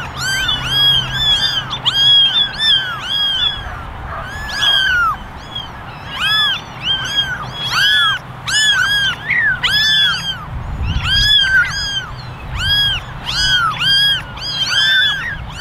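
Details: Eleven kittens in a basket, ten ginger and a single white one, meow persistently for attention; dense rows of high arched mews repeat in rapid bursts, many kittens crying over one another.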